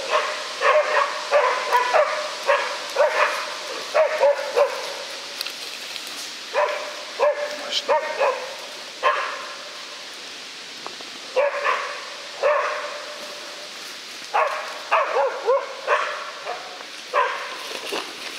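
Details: Young West Siberian Laika bitches holding a mature wild boar at bay in Udmurtia, Russia, seen from about fifteen metres; urgent, ringing barks in fast clusters, with brief lulls between volleys.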